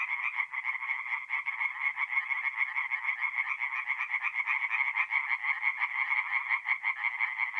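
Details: Many tree frogs singing together at night in a forest pond in north-east Italy during mid-April, their quick grating croaks blending into a thick, loud, less evenly spaced chorus throughout.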